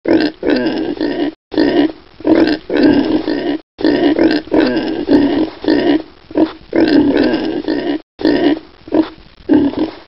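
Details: Collared peccary giving harsh, rasping grunts in long bursts of about one to two seconds, repeated steadily with brief gaps throughout, loud and close.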